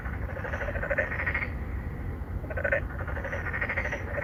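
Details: Endangered narrow-mouthed frogs, three or four males calling for females at a residential pond in Songdo, Incheon, South Korea. Two bursts of grating, rapidly pulsed nasal croaks overlap, separated by a pause, over constant low background hum.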